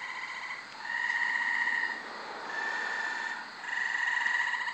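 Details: Multiple wild Gray Treefrogs singing at night in brushy, tree-filled undeveloped lot behind a house in Carolina, Rhode Island, late May; overlapping musical trills, each about a second long, with callers alternating and blending.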